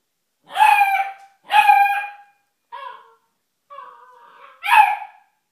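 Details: Two drawn-out puppy barks, then softer whimpering whines and a closing bark, irregularly spaced over several seconds in a quiet room.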